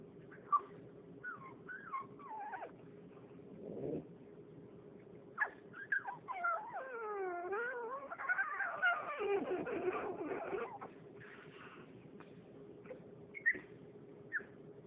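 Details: Female French bulldog whimpering for attention because she wants to play, with scattered short whines early on, then a long run of wavering, modulated whimpers and odd nasal noises in the middle, and a few brief yips near the end.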